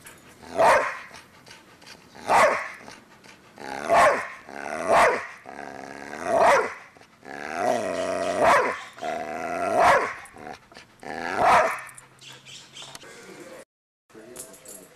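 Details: Two dogs, Cinder and Zoe, running around and barking: loud harmonic barks repeated about every one to two seconds, some drawn out and growly, with a short silent gap near the end.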